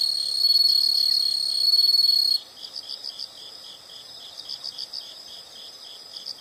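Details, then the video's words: Insects calling: a loud, steady high-pitched trill for about two seconds, then breaks into softer pulsed chirps repeated several times a second against a quiet background. "the sound of insects"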